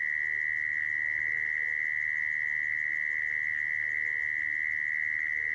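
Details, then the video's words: Mole cricket calling, the sound used to trap crickets: an intense, continuous high-pitched trill with a fine pulsing texture, unchanging throughout, over a faint low rumble. "Tiếng dế dũi dùng để bẫy"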